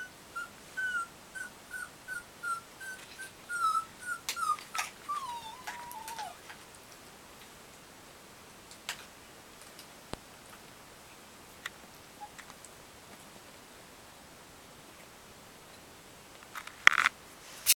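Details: Three newborn Yorkshire Terrier puppies, two female and one male, born an hour earlier in their mother's second litter, give thin, high squeaks in quick succession, then fall mostly quiet.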